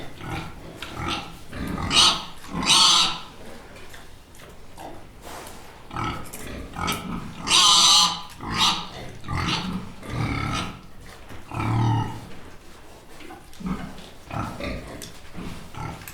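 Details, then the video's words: Pig grunting and squealing in repeated harsh bursts, some shrill squeals standing out among lower rough grunts, steady calling throughout. "Pig 1 Copyright Free Sound Effect FX"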